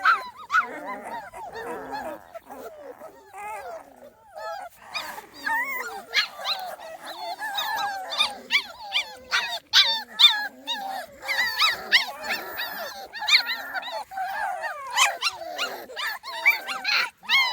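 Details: Small Munsterlander litter, 2.5 weeks old, outdoors for the first time; scattered high squeaks and short whines from several puppies, faint at first then busier, with clicking and rustling between calls.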